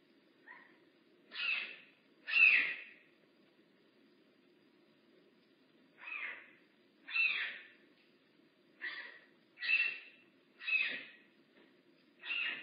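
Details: Rehab bobcat Makani at Big Cat Rescue calls in short, raspy bursts: three at first, a pause of several seconds, then six more in quicker, uneven succession over a low steady hum.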